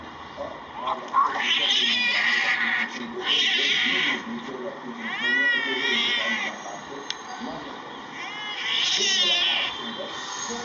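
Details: Cats in a fight: drawn-out, wavering yowls sliding up and down in long bursts of one to two seconds, separated by short pauses, with quieter growling and background voices between the howls.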